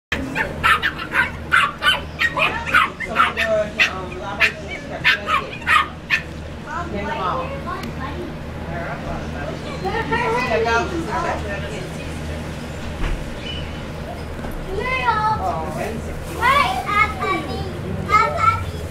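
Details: Two dachshund puppies playing together, giving repeated short high yips and whimpers in quick bursts, with squeaky rising whines toward the end; human speech heard in the background.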